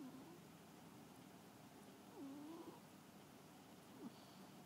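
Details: Sleeping house cat snoring, with one brief tone at the start, then a longer wavering whistle-like breath that dips and rises, and a faint short squeak near the end, all against a steady low hum.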